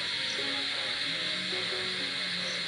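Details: Countless insects and frogs call together at a resort in Ghatakpukur near Kolkata around 10 pm, a continuous high shimmering drone with faint lower tones beneath, possibly frogs or soft background music.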